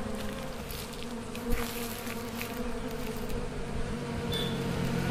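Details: Asian honey bees (Apis cerana) from a wild colony splitting in a natural swarm: a steady low droning hum with faint higher buzzing overtones, a brief knock near the start and a soft rustling background.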